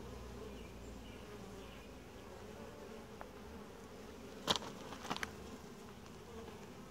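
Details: Calm, gentle honey bee colony at an apiary hive inspection; continuous low buzzing drone throughout, broken near the end by a few sharp clicks and knocks from handling the hive.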